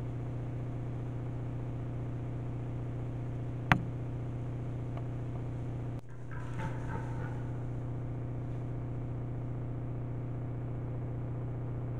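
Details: Steady low mechanical hum throughout, broken by a sharp click and later a dull thump with brief rustling; no animal calls are heard.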